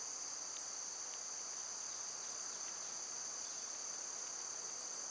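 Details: Cicadas singing on a summer day, a dense, even, high-pitched electric buzz running throughout, while small distant bird chirps pop in sparsely over it.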